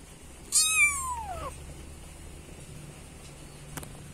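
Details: A single loud, drawn-out kitten meow, calling for its mother cat, sharp at onset then sliding downward in pitch, followed by quiet low hum and a brief click.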